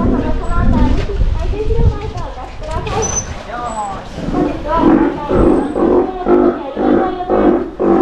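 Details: Adult male Steller sea lion, a father with worsening eyesight, no longer in shows but healthy and energetic, at an aquarium in Japan; an announcer speaks first, then deep, throaty roars repeat in short bursts.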